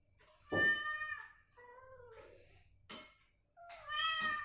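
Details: Recovering cat, provoked with matching cat sounds to get it moving and voicing, trades meows: a clear rich meow, then a lower wavering falling one, then a bright rising-falling meow, with soft thumps between.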